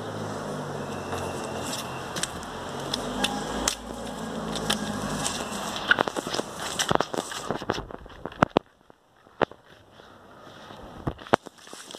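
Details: Crackling clicks over a steady mechanical hum, like a fan or a passing vehicle, that drops into near quiet partway through, with no animal call.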